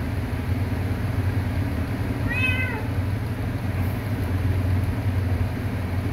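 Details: Kitten giving a single clear meow, falling in pitch over about half a second, above a constant low rumble of engine or traffic noise.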